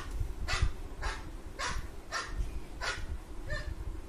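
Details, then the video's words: Dog barking while a golden retriever puppy reacts: six sharp barks, roughly one every 0.6 seconds, over steady low background rumble. "Puppy Reaction on Dog barking"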